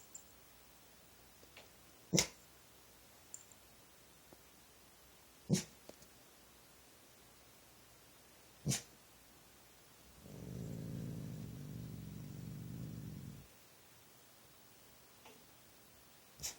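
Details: Late at night, a dog makes odd noises at nothing. After a stretch of scattered sharp clicks and taps, a low, even, rumbling growl runs for about three seconds, followed by more sporadic clicks.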